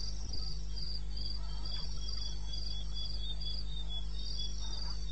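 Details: Crickets chirping at night, 2:30 am on 21 May 2016, in the wilderness of eastern Botswana: shrill, rhythmic pulses about three per second, a second fainter caller alongside, plus a low steady hum and a few soft knocks.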